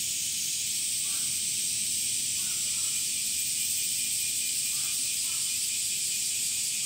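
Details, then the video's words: Male cicadas singing in summer, sound made by flexing drum-like tymbals in the abdomen: a dense, steady, high-pitched hissing buzz fills the clip without a break, with a few faint, short lower notes in the background. "THE SOUNDS OF CICADAS ( semi goe ) THE SUMMER INSECT"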